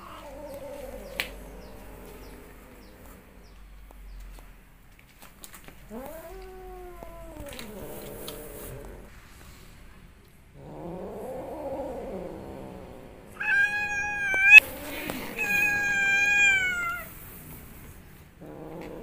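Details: Upset cat voicing low moaning growls that rise and fall, then a sharper high wavering yowl near the end; long quiet gaps between sounds.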